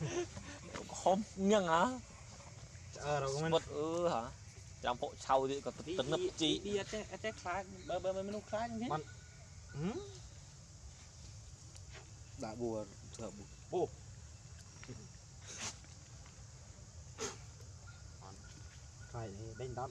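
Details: Loud crying from an abandoned monkey, wavering trembling wails grouped in bursts over the first ten seconds, then sparser, fainter cries with brief sharp clicks and steady outdoor hiss behind.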